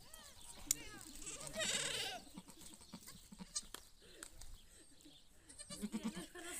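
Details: Domestic goat giving birth, with other goats gathering around her: wavering, harmonic bleats early on and a louder drawn-out bleat near two seconds, over people talking throughout.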